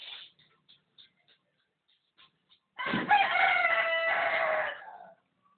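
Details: Pet dog trying to sing like a rooster: after a few faint clicks, a loud drawn-out crow-like howl with a strong harmonic tone lasts about two seconds, then fades away.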